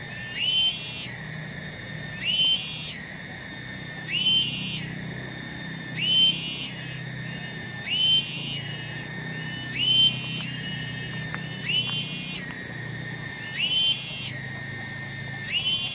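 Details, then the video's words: Loud tonggeret cicada singing in a village garden at Kampung Bunder, Desa Cibening, Bungursari. Piercing tonal whine sweeps upward and holds, broken by short dips, in a steady cycle of about two seconds with faint low background hum. "SORA TONGGERET DI KEBON"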